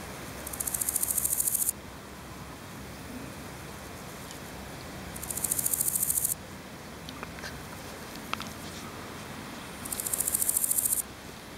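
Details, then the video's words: A male large gold grasshopper (Chrysochraon dispar), recorded in Berlin on 7 July 2011, sings in high, dry, rapidly pulsed bursts about a second long, spaced several seconds apart. "Große Goldschrecke / Large Gold Grasshopper (Chrysochraon dispar)"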